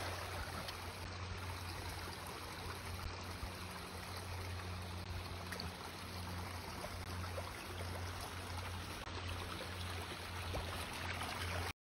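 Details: Continuous rushing, trickling water noise with a low steady hum underneath, and no animal sound.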